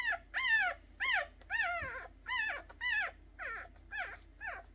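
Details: Puppies only three days old whining in a regular series of sharp, downward-sliding squeals, each about half a second long, repeated nearly twice per second, softening slightly toward the end.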